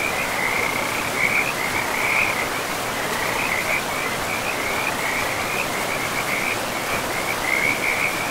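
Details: Frogs in a pristine forest by a river give a near-continuous run of raspy, pulsed trills in quick succession, with steady rushing river noise throughout.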